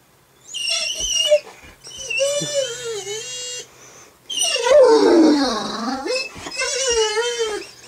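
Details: Male Great Dane puppy, 11 months old, indoors watching home videos of himself on TV and making funny sounds: a series of drawn-out whining, howl-like moans that rise and fall, one deeper swooping groan in the middle, with short pauses between.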